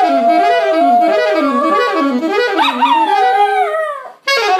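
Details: A dachshund howls along to blues played on saxophone, its long wavering notes rising and falling over the music.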